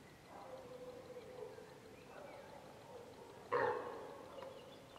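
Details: A hind calling her calf, separated by wild boar that feint attacks at it; a faint drawn-out moaning call first, then a sudden loud nasal cry that tails away.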